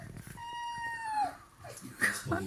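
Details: Fox indoors near a refrigerator; a single drawn-out, clear whining cry that holds steady and then falls away, followed by a short squeak, with people laughing in the room.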